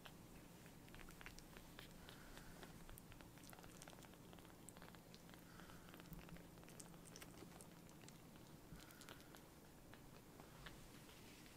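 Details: Tiny palm-sized rescued kittens, newly taken in, purring loudly while being affectionate and sucking on a finger; a low continuous rumbling drone with faint clicks and handling noises on top.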